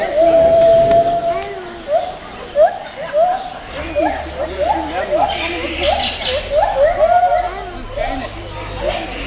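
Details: Captive white-handed gibbons at Zoo Schönbrunn, Vienna, June 2011, in song: a held whistled note, then a quickening run of short rising hoots repeated about twice a second, amid children's voices and crowd noise.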